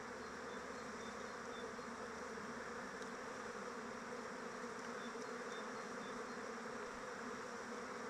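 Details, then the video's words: Honey bees flying around their hive in open weather: a steady, dense hum of many wings, broad and unbroken, with a faint higher whine layered above and no other clear sounds. "Bees flying around hive"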